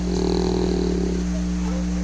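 An English Bulldog snores with a rough, rattling low rasp over a steady background hum.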